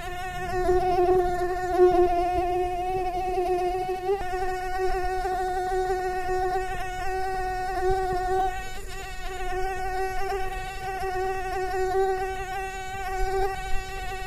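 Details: Mosquito buzz recalling summer nights: a continuous whining hum with a steady low tone and stacked overtones, wavering slightly in pitch and loudness throughout, with no other sounds.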